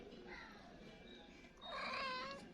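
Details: Stray domestic cat that calls the woman who feeds it at about the same time every day, hungry again near noon when she usually gives snacks; a single drawn-out meow rises late over quiet background music.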